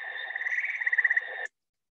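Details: A tree frog in New Hampshire calls with a fast, pulsing, steady musical trill about a second and a half long, even in pitch and growing slightly louder before it stops abruptly; it is usually among the last frogs to start calling in the season.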